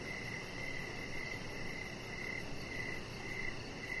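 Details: Crickets calling outdoors in the evening by a deck with decoration lights and a resting chihuahua puppy named Rocket. Faint high chirps recur at a brisk, somewhat uneven pace, partly buried in steady broadband noise.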